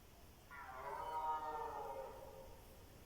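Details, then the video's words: A red deer stag bellows at dusk during the evening rut, with several bulls calling near each other; a single harmonic roar about one and a half seconds long that rises briefly, then slides lower and fades. "Wieczorne ryki jeleni"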